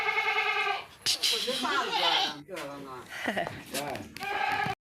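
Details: Black Bengal goats, a doe that produced four kids in 13 months: a clear, harmonic bleat at the start and another at the end, with human speech in between.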